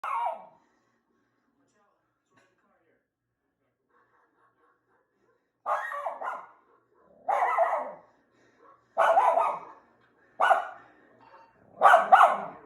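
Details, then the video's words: Dog barking at a television indoors: one short bark at the start, a long quiet gap, then a run of five sharp, harsh barks spaced about one to one and a half seconds apart. "Dog barks at TV"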